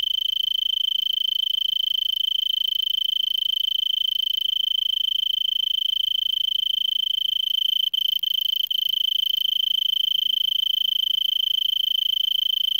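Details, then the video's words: An Arizona tree cricket stridulates in a brittlebush at about 5 PM on December 26, 2022, in Vail, Arizona, at 3300 ft and about 70°F, before sunset: a steady, unbroken, pure high trill. "Arizona Tree Cricket 2"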